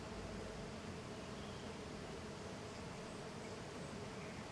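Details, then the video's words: Jatai stingless bees (Tetragonisca angustula), small and golden, busily swarming outside the hive, giving a continuous even drone of massed wingbeats without pauses. "Stingless bee intense activity outside the hive (Tetragonisca angustula)"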